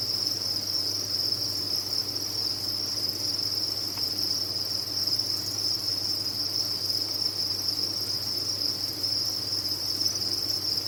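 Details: Many crickets kept at a cricket farm sing together in a dense, unbroken high-pitched chorus, a steady shrill trill holding one pitch throughout, over a faint low hum.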